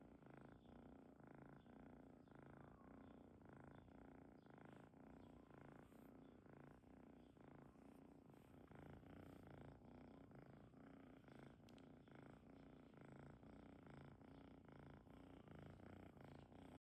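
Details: Domestic cat, a kitten, purring deeply: a soft, steady, low rumbling pulse that continues without a break, quiet and close.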